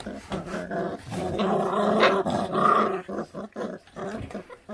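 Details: A feral dog puppy growls over its food, a rough low rumble swelling louder midway, then choppy broken growls fading toward the end, with faint human voices.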